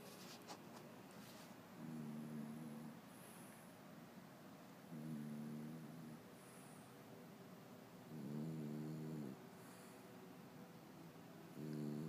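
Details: French bulldog snoring: four low, humming snores about every three seconds, each a steady droning tone with stacked overtones lasting about a second, with faint high whining tones in the quiet gaps.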